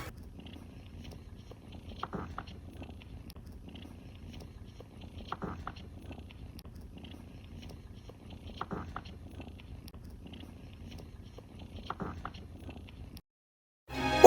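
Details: A Scottish Fold cat on a cat farm in Chiang Mai, Thailand, purrs in a soft, steady low rumble, a sign of feeling relaxed and safe.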